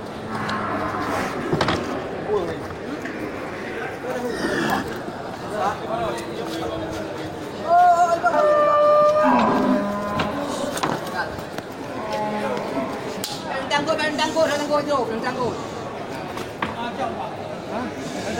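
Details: Big local beef cattle brought to the Geulumpang Payong animal market on 8 May 2021. Several bellowing moos with bright stacked tones rise and fall, the loudest midway, among busy chatter, vendors' voices and snatches of music.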